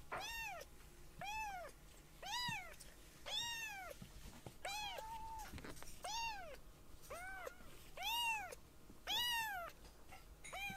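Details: Young baby kittens, rescued foster kittens, mew in thin, high-pitched calls that rise and fall, about once a second, indoors; one kitten is startled when another jumps onto its back.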